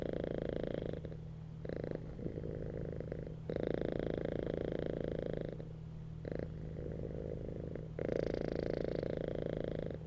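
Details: Domestic cats lying on a bed, purring while relaxed; a steady rumbling purr swells and fades in long breathing cycles, each louder phase lasting about two to four seconds, over a constant low background hum.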